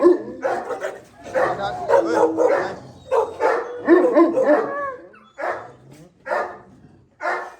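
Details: Gull Terrier (Gultair) dogs, a male and a pregnant female, kept at a kennel in Pakistan; loud barks come in rapid, uneven bursts, some pauses between groups, with a man's voice talking and calling over them.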